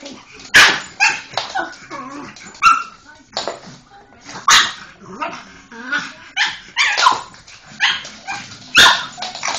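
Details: Pug named Molly going wild at a Hoover, giving a busy run of loud barks and yappy yelps at irregular intervals, with softer grumbles and clatter filling the gaps.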